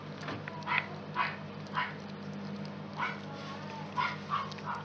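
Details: Day-old miniature pinscher pups from the X litter of Homokháti Fürge Delon and Bácskautcai Léda make short, soft squeaks. About eight squeaks come at irregular intervals over a steady low hum.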